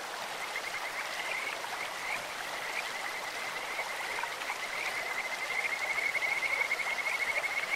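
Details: Rapid, high-pitched pulsed trills from Kajika frogs in a clear stream, a bird-like chirring that grows louder and denser toward the end, set against continuous splashing and flowing water.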